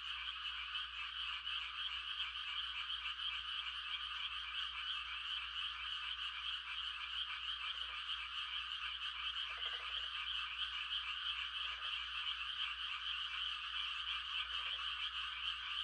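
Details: Frogs calling for mates on a quiet country night during rice-planting season: a constant dense high trilling chorus, silent of nearer calls at first, then four short lower croak bursts in the second half.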